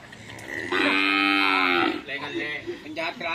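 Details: Cattle at bull racing (karapan sapi) practice on the Asemanis field in Pamekasan; a loud, sustained, tonal moo lasting over a second, followed by people talking and laughing.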